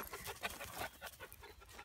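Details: Young house-raised goat, rejected by its mother and taught by dogs to pant, panting excitedly while bouncing in hope of coming indoors; quick rhythmic breathy puffs repeated several times a second, with faint background noise.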